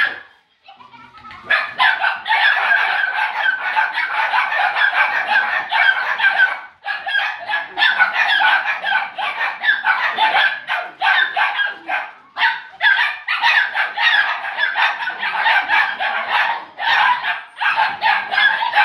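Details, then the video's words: Near-constant yapping from a litter of puppies almost 8 weeks old, set off around a laughing ball toy; shrill overlapping barks begin after a quiet first second and run on with brief dips. "Live Laugh Bark"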